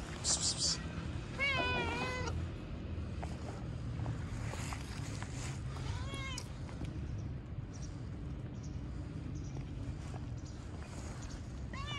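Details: Cats met outdoors; a few brief, wavering meows are spaced several seconds apart over steady low background rumble, with a person speaking Turkish.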